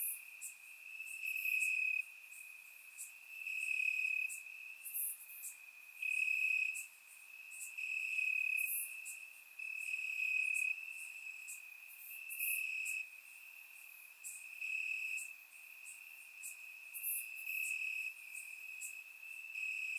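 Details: Crickets chirping in grass on a warm summer night in Bulgaria, recorded with a surround microphone: a steady high trill with regular louder pulses every second or two, plus faint higher clicks above.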